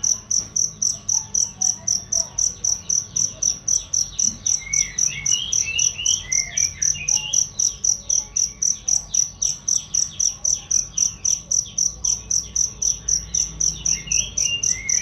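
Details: Cricket song made as a tutor sound for songbirds: a long run of shrill, evenly spaced chirps, nearly four per second, with scattered soft bird whistles in the background.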